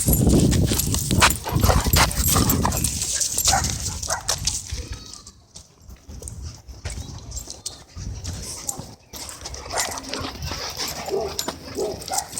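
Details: Dogs in an aggressive battle at a dog park, ending in a blindsided tackle: harsh, broadband snarling and scuffling bursts, loudest in the first five seconds, then quieter scattered noises with brief silent gaps.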